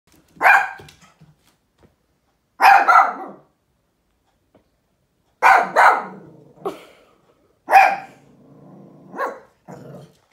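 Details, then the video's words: Dog barking at nothing: sharp, harsh barks in short bursts, some doubled, about eight over ten seconds with quiet gaps between, the last few softer and trailing into low growly tails. "DOG BARKING AT NOTHING"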